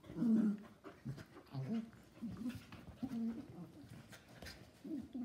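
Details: Two schnauzers, a miniature and a giant, play-fighting together; low, voiced grumbling growls and short whiny bursts come in quick irregular runs, with panting breaths between them.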